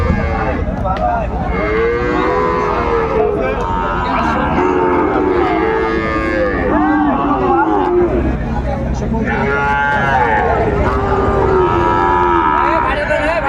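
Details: Sahiwal bull calves at a cattle market late in the day on 27 December 2024, several overlapping lowing moos rising and falling, some drawn out, amid constant crowd chatter and bargaining voices.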